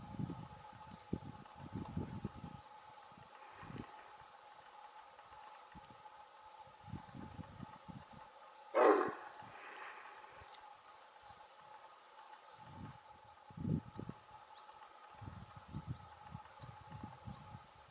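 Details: Red deer female alarm signal, recalling a big dog's bark: a single abrupt, rasping bark midway through, surrounded by soft low thumps and rustles and a constant faint tonal hum.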